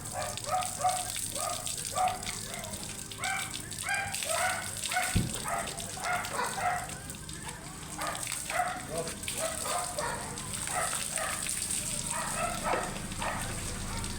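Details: Angry, matted Shih Tzu being groomed, giving rapid, repeated high yapping barks in quick bursts with short pauses, over a constant hissing background noise and a brief voice.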